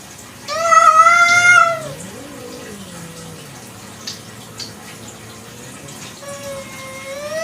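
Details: One loud, clear meow from a village cat at night, followed by a softer low falling tone and then a faint, thin meow near the end, with light background noise.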